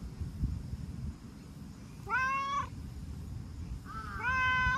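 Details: Chatty brown tabby-and-white stray cat, returning strokes by rubbing against and licking the person, meows twice: a drawn-out falling mew, then a second that starts level and bends downward, over low rumbling background noise.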